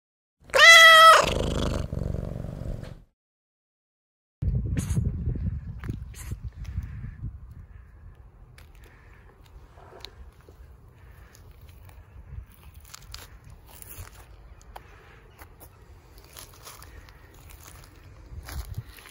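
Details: Ginger stray cat asking for food, one loud harmonic meow near the start lasting about two seconds, then silence and low rumbling street noise with scattered clicks and rustles.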